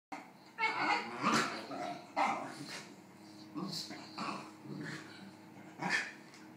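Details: A Basenji wanting another dog's snack gives a series of short, harmonic yelping and grumbling calls, with faint human voices.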